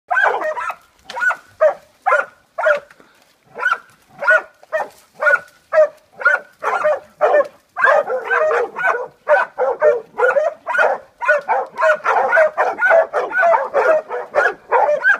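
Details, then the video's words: Several Catahoula Leopard Dogs bailing a boar in a washout. Loud, ringing bays come in a ragged series, about two per second, and thicken into overlapping voices from several dogs in the second half. "Catahoula's bail a boar in a washout."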